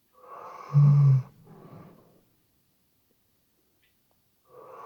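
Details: Sleeping Weimaraner dog snoring indoors, recorded on a RODE NTG3B microphone: a breathy rasping inhale swells into one loud, deep, rattling snort lasting about half a second, then a softer wheezy exhale, with the next snore starting at the end.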